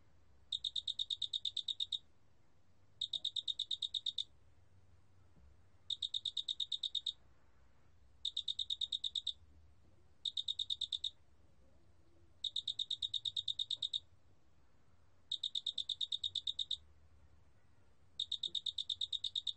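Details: Eight pulsed bursts from a large mottled cricket, a National Institute of Biological Resources recording from 2020. Each train is a quick, even rattle of shrill pulses, about a second long, repeating every two to three seconds against a quiet background.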